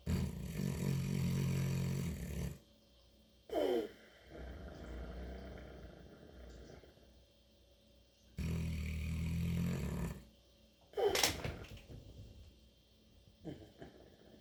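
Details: St. Bernard named Mabel asleep and snoring unusually: two long, deep rattling inhalations about six seconds apart, each a low vibrating rumble, separated by quieter whistling, wheezy exhales and soft breathing.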